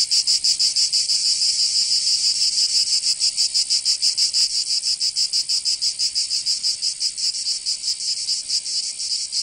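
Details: Provence cicadas calling in summer in southern France. An intense, high-pitched pulsing drone beats about three times per second and eases slightly in loudness toward the end.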